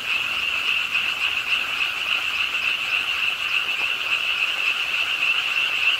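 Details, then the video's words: Frogs calling at a park pond in Suwon's Ingye Art Park on a rainy late night, a dense continuous chorus of rapid overlapping croaks forming a steady high trilling band, with rain hiss underneath. "비오는 밤 개구리소리, Do you hear the frogs? 비오는 밤 공원 연못 추억의 개구리 소리, Frog Sounds, 빗소리와 함께 듣는 개구리 우는 소리"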